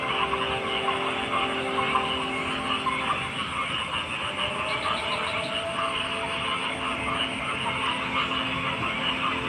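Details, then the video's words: Many frogs croak together in an unbroken wall of sound, a buzzy layered chorus with steady high tonal lines and no clear gaps between callers. "Frog Sounds"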